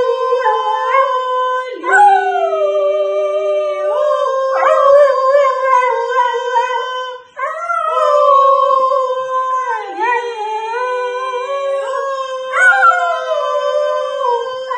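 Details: A Cocker Spaniel sings along, howling in long, sustained, tuneful notes that waver and slide in pitch. Cocker Spaniel.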